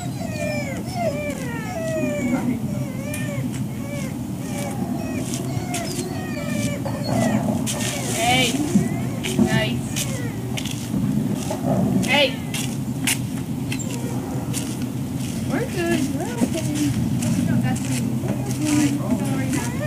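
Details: Breakfast wait for dogs at Service Dog Project in Ipswich, Massachusetts, 14 October 2017; a long run of wavering, overlapping whimpers and yelps from several animals, with clattering and a continuous low hum behind.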